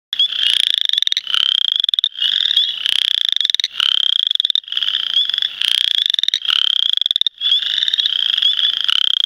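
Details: Western chorus frogs (Pseudacris triseriata) sing during the 2010 mating season: rapid, rising, rasping trills about a second long, repeated almost without pause.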